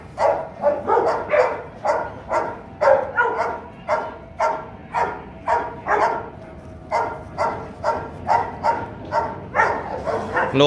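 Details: Rottweiler father Bruno, a Latvian young champion, meeting his son Igor, aged 7 months, at a kennel; steady run of loud harmonic barks, roughly two per second for ten seconds, with a brief pause midway.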